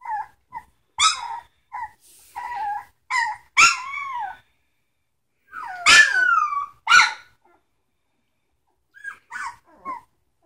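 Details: Samoyed puppies at three weeks old give a busy run of short yelps and squeaky whimpers, some sharp and sudden, others drawn out and bending, with brief pauses between bursts.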